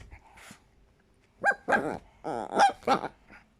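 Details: Chihuahua indoors letting out a high squeaky yap, then a harmonic growling whine, a sustained grumble and two more squeaking barks close together, ending in a soft short grunt.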